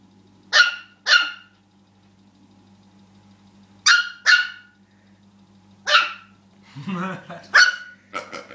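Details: Rookie the dog, upset by the pig, gives paired sharp yaps spaced a few seconds apart; a woman's voice speaks briefly near the end among the barks, steady hum underneath.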